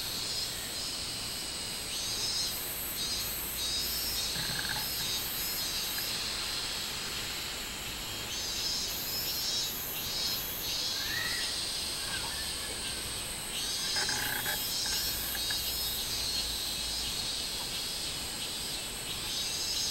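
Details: Minmin cicada singing on 24 July 2016 in summer, a pulsed high buzzing phrase repeated in bursts over a steady shrill background drone of other insects.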